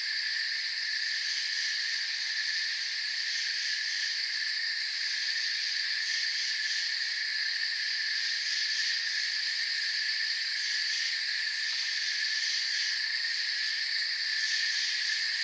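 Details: Crickets chirping in a quiet moonlit forest, a sustained high shrill chorus in several bright bands, with subtle swells in loudness but no gaps, and no other distinct sounds.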